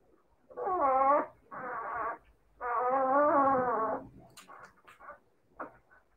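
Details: Siberian Husky puppies: three sustained, tonal howls, each about a second long, with a slight wobble in pitch, followed by soft scattered whimpers and snuffles.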